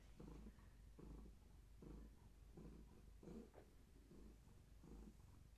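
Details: Purring from Gaia, a long-haired tabby cat pregnant with many active kittens, held steady during a weigh-in on a scale; a steady low rumbling purr, each breath-pulse returning roughly every 0.8 seconds.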